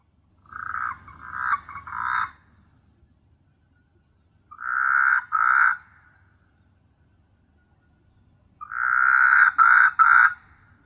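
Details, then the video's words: Night chorus of frogs on S.Hulhumeedhoo, Maldives: three long, nasal, buzzy croaking bouts of one to two seconds each, broken into pulsed segments, spaced about four seconds apart over a quiet background. "Beautiful frog sound at night"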